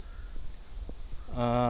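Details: Kuliglig, a cicada, singing at a rural roadside in Pangasinan during a day of travel: a steady, loud high-pitched drone holds throughout, while a harmonic vehicle-like tone rises in near the end.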